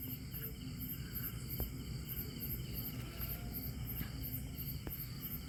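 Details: At night in a field behind a house, a burrowing cricket calling from its burrow keeps up a continuous, high, shrill trill, with fainter pulsing chirps from other insects above and a deep steady rumble beneath.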